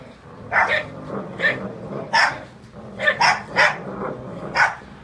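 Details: Two dogs, a Ridgeback and a Jack Russell, fighting over a prized blanket in a tug of war; a handful of loud clipped barks spaced irregularly, some in quick pairs, over a low continuous growl.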